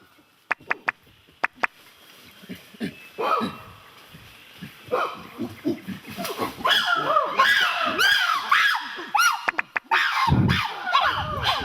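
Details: Wild chimpanzees in Kibale National Park, Uganda, heard when not followed on foot, break into a rising chorus of hoots and shrill screams, excitement calls that gather the group at a highly prized food.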